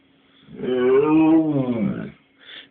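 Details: Indoor pet dog answering a person's repeated Polish questions about where its companions are with a long, wavering, moaning howl of about one and a half seconds, then a brief softer sound at the end.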